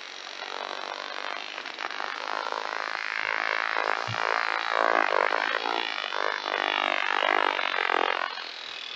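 A sperm whale produces a fast, continuous train of clicks that merges into a coarse buzzing drone, much like a distant lawnmower. The sound swells and fades slightly over several seconds.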